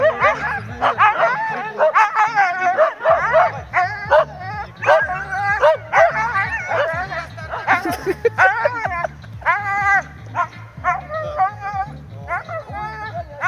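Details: Siberian Huskies at the start and finish of the 2023 'Faster than the Wind' race in Ivanovo, Russia: dense, rapid yelps and whining barks tumbling over one another throughout, with a repeating music beat underneath.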